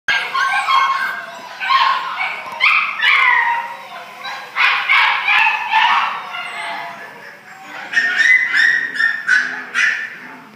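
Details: Orange Spitz dog recorded 17 January 2013: bursts of high-pitched yelping and whining, uneven and rapid, several cries packed closely together and then trailing off, with brief quieter gaps between the flurries.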